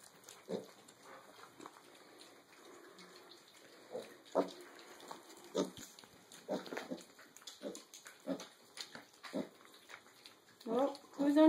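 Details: Mini pig piglets about six and a half weeks old, eating breakfast together as a litter; scattered short low grunts and snuffles at irregular intervals, a louder squeal near the end, with a woman talking softly nearby.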